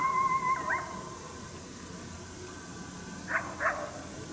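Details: Unseen wild coyote near St-Andrews, 1 March 2019, unhappy at a hunter's presence: a drawn-out whining tone opens, followed after a pause by two quick yapping barks over steady low background hiss.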